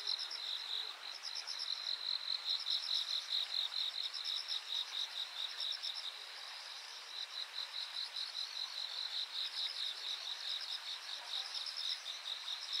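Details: A summer chorus of insects on the bank at Yanagawa, Japan, recorded 13 August 2023, gives high pulsing trills repeating in rapid bursts.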